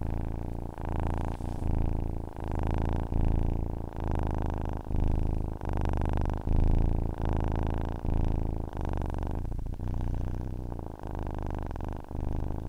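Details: A cat's continuous purr for falling asleep, deep and throbbing, swelling and easing in cycles of roughly a second and a half as the animal breathes in and out.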